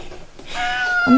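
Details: Domestic cat in a multi-cat home where feline herpes is spreading, giving a drawn-out meow with a steady tone that drops at the end into a short low cry; indoor setting.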